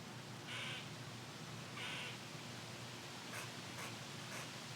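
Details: An angry squirrel in a windy tree, agitated at being recorded, gives two rasping barks about a second apart, then three quick sharp chips, with constant wind noise throughout.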